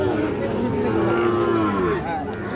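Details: Sahiwal cattle at Ambari cattle market in Parbatipur, Dinajpur, Bangladesh, where young bull calves are traded; a drawn-out moo bending slowly down in pitch, under the chatter of men haggling over prices in a busy crowd.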